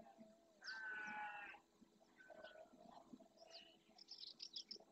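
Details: Red deer stag in the Doñana National Park marshes, Andalusia, Spain, roaring at dawn during the rut while courting his hinds and warning rival males off his territory and harem: one loud, harsh, rasping bellow of about a second, with small birds chirping around it.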